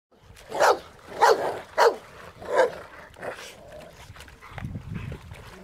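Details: Rottweilers playing in water, several loud barks at irregular intervals in the first three seconds, then quieter sounds and a low rumbling near the end.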